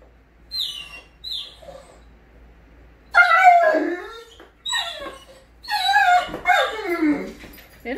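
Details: Great Dane named Scooby greeting its owner arriving home, excited. High thin whines at first, then bursts of loud wavering whimpering yelps with falling tails, interleaved with a person's voice speaking.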